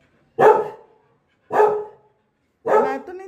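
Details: Pet Labrador Retriever named Lily barking after her apple drops out of reach: three loud, full barks spaced a little over a second apart, each with a quick attack and short fading tail.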